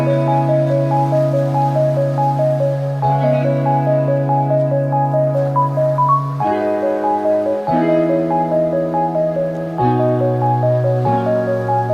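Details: Gentle marimba-like melody with sustained low tones and repeated plucked notes throughout, with no animal sounds.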